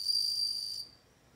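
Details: A short burst of bell cricket song, a clear high tinkling trill lasting under a second before fading out.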